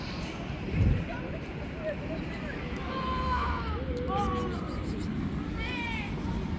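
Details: Stray kittens living on the street clamber onto a lap, letting out several short wavering mews, one rising then falling, against constant low urban traffic hum.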